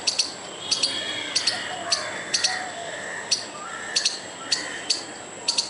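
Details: Squirrel making a furious noise while trying to scare off a dog and a person: sharp, clicking chips, often in quick pairs, repeated irregularly about every half second, with a faint steady high hiss behind.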